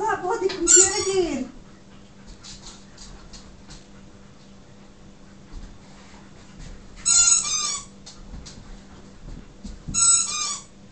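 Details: Siberian huskies indoors, excited and driven mad by a squeaky toy: a drawn-out whining howl slides downward in pitch for about a second, then sharp squeaky-toy squeaks burst out twice later, with a low steady hum beneath.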